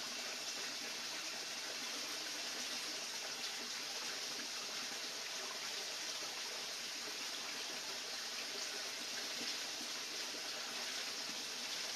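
Steady rushing water fills the whole clip, a broad hiss with no animal calls standing out.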